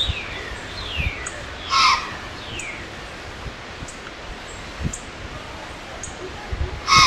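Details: Pennsylvania white-tailed doe snorting at an intruding human with a camera: two sharp, breathy blasts with a hoarse tonal core, one early and one at the very end, while small birds chirp and trill in the background.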